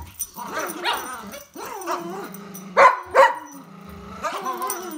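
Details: Poodle during a game of tug of war, producing low grumbling growls broken by two sharp, louder barks near the middle, then more rumbling growls.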